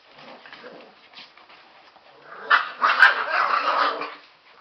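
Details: Two Airedale Terrier puppy brothers, Big Boy and White Paw, 43 days old, at S & S Kennel early on a Monday morning; quiet scuffling gives way to a loud burst of rough, growly barks and yaps during rambunctious play.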